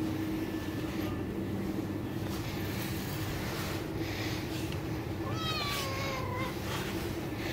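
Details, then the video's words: Domestic Bengal cat calling for its mother's touch, giving a single clear meow that starts high, dips, and trails off evenly, set against constant low background hum and faint rustling. "Adorable cat Meows For Mother's Touch"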